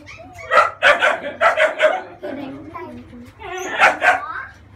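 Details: Thirty-day-old female French Bulldog puppy during a bath to remove cradle cap: a run of five sharp, harmonic yelps in quick succession, a brief pause with soft whimpering, then two more loud yelps. A person talks nearby.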